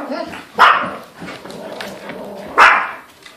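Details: Pet dogs, jokingly called a wolf pack, bark at a squirrel; two sharp, loud single barks about two seconds apart, with a man's voice asking about the squirrel in between.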